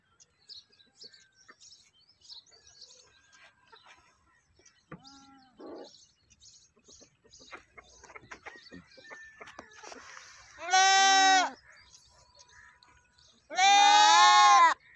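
A goat lets out two loud, nasal bleats, each about a second long with a quavering tremble. Soft chirps, clicks and rustling fill the background between them.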